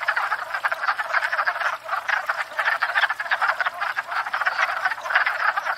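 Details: Dense wood frog chorus from a spring breeding pond, frogs courting after thawing out; harsh clucking croaks packed tightly together in a continuous, rattling din, barely pausing.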